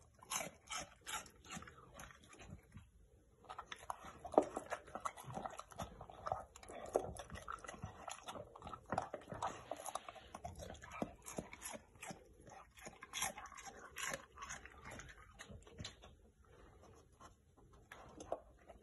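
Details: A Bull Terrier eating raw BARF food crunches and gnaws noisily, with wet smacking bites and bone-cracking clicks throughout.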